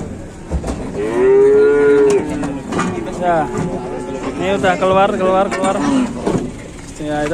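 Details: Cattle squeezed in at a market, lowing: long, steady, tonal moos overlapping one another, with several animals calling, alongside background voices and vehicle rumble.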